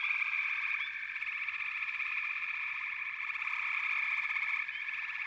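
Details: A dense frog chorus of fast pulsed trills forming a steady droning band, with only one or two rising chirps and a slight drop in loudness near the end.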